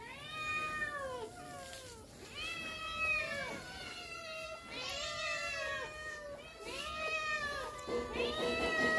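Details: Several pet cats meowing eagerly indoors, excited for egg treats; overlapping, drawn-out meows that rise and fall, coming in quick succession with barely a pause, some voices higher-pitched than others.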